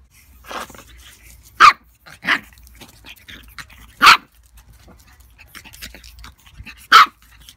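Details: A 10-week-old pug puppy named Darcy Vader tussles with a fake pug, letting out four loud, abrupt barks at uneven intervals, with softer huffs and small scuffling noises in between.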